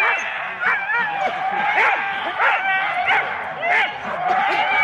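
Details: Excited Huskies from four-dog sled teams waiting for the start at Rendlesham in January 2016, recorded on analogue cassette: wavering whines and yips layered over steady background chatter of people.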